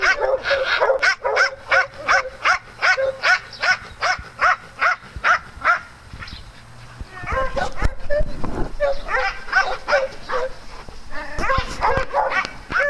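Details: Dogs playing on a farm bark in a fast, steady volley for about six seconds, then pause amid rustling and a thud before a second burst of sharp, repeated barks.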